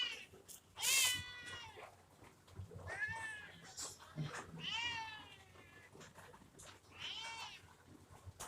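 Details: Kitten giving a string of short, bright meows, about five calls over eight seconds, some rising then falling, with soft rustling and low room noise between them.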